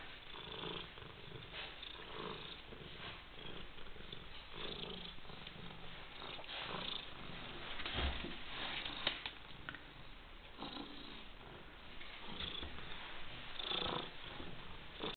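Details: Coniglietto, a white European Shorthair cat, keeps up a long, continuous purr: soft rattling pulses rising and falling with each breath, with occasional sniffs and small rustles.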